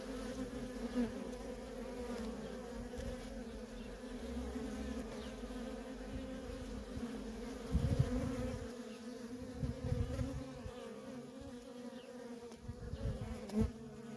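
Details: A constant, even hum from worker honey bees streaming in and out of a feral colony, with occasional low rumbles and brief louder passes of bees near the recorder.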